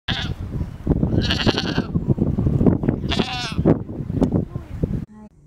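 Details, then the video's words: Goat screaming loudly: harsh, strained bleating cries in several bursts, some with a wavering high edge, over low rumbling background noise, ending in a brief different sound. "Goat screem loudly"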